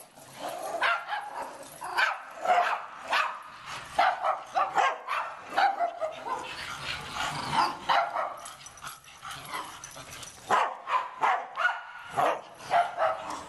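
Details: Dog giving a rapid run of short, sharp yips and barks, several per second, uneven in spacing with a brief lull midway, over a faint background hiss.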